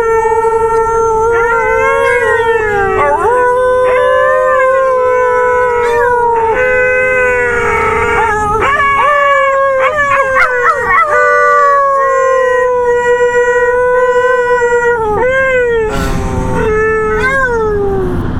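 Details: A Siberian Husky leads a pack howl in long, wavering tones, with several other dogs' voices overlapping and sliding in pitch.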